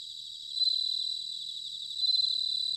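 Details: Close bell cricket singing in autumn in Sanuki, Chiba, Japan: a clear, high, bell-like trill that swells louder twice, with a quieter chorus of crickets steady behind it.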